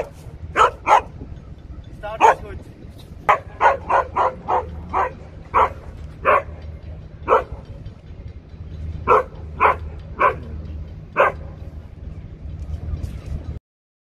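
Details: Siberian Husky defending against a robot dog it distrusts, trying to scare the machine away: bursts of loud, sharp barks, some in rapid runs of three or four, others single, spread over fourteen seconds with low background rumble.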